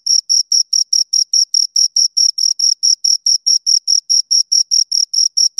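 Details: High, rhythmic chirps from two crickets, evenly spaced short pulses at around four per second in a clean, quiet recording.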